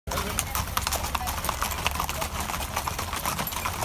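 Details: Horse hoofbeats: a steady run of sharp, broadband clip-clop knocks, roughly two to three each second, over a constant low rumble and faint voices.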